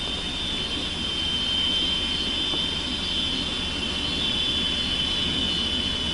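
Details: A chorus of cicadas in May 1993 around Panindícuar, Mexico, at the start of the rainy season when wheat is sown, gives a steady, high-pitched, shimmering drone that never lets up.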